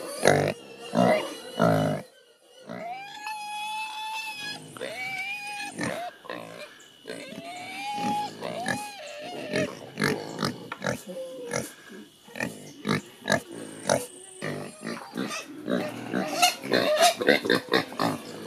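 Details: Creole pigs squealing at morning feeding just outside a window in rural Haiti; loud harmonic squeals near 700–800 pitch with rising-falling arcs, mixed with short grunts and bursts in irregular rhythm, crowded chorus of several pigs.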